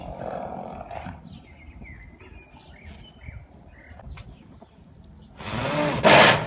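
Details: Arabian horse sounds, snort and neigh: faint chirps and soft murmurs fill most of the recording before one sudden loud, breathy snort bursts out near the end.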